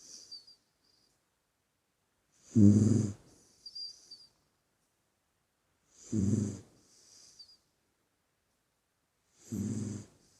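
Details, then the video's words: Puppy snoring in its sleep, three deep rumbling inhalations spaced about three and a half seconds apart, each followed by a soft whistly exhale, quiet pauses between. "Snoring Pup in Dreamland"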